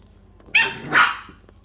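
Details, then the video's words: English bulldog puppies at play give two short, sharp yapping barks half a second apart, the second one rougher and longer, against a quiet indoor background. "English bulldog puppies"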